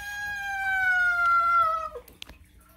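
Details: Male domestic cat giving a long, drawn-out meow that slides slowly downward and ends in a low, cow-like 'moo' drop; a faint tap follows.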